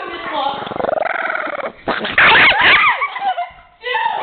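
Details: Elsie, a pet Chihuahua bothered and teased by friends indoors, gives a throaty pulsed growl for about a second, then harsh snarling yaps break out over excited human voices and laughter.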